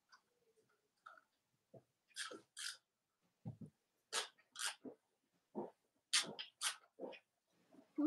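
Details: Cavalier King Charles Spaniel puppies indoors on a live stream, litters of Robin and Myra, giving short squeaky whimpers and yelps in irregular bursts, some high and sharp, others lower grunts, with soft breathing between.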